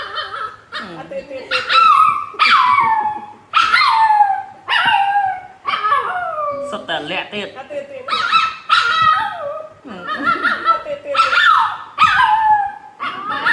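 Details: Dog staying at its owner's side while she relaxes in a hammock, giving drawn-out wavering whines and howl-like calls with falling glides, repeated about every second, as people talk and laugh nearby.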